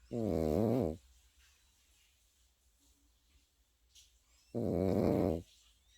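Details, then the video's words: A Pekingese puppy asleep, giving two rough, droning snores of about one second each, separated by a quiet pause of nearly four seconds with soft room noise. "패키니즈 코고는 영상"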